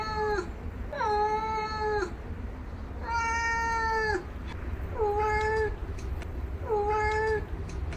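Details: Real domestic cat giving five drawn-out, tonal meows, each about a second long and sliding down at the end, spaced a second or two apart over a steady low hum.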